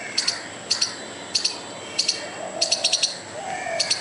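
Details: Squirrel calling furiously at a dog and a person: sharp, high clicking chips mostly in pairs, repeated roughly every half second, one quicker run of four, over a quiet background with faint low tones.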